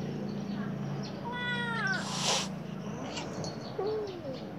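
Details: Khao Manee cat with golden eyes watching outside, one drawn-out harmonic meow followed by a short burst of hissy noise and a faint soft sound near the end, low hum throughout.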